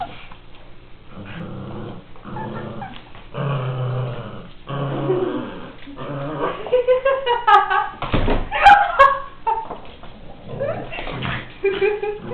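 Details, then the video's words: Miniature Pinscher named Kiwi romping in play, giving low rumbling growls in bursts that rise into sharper yips and snarls toward the middle, with scuffling noises between. "Zwergpinscher " KIWI " beim Toben"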